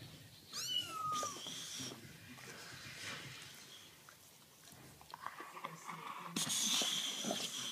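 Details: Kitten gives one short, high meow that rises and then slides down near the start. People talk over indoor rustling and handling noises afterwards.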